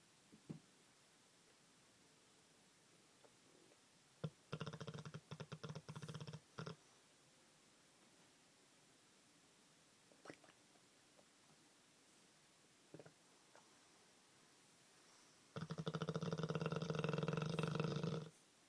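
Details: Olde English Bulldog named Bruno snoring like a human indoors: two bursts of rapid, low, rattling snore pulses, a short one early and a longer, louder one near the end, separated by quiet with scattered soft clicks.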